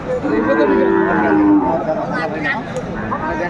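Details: Sahiwal breed bull calf among the stock at Aftabganj cattle market, Brahmanbaria, Bangladesh, 7 May 2024: a short, tonal moo of about one second, with people talking and general market noise around it.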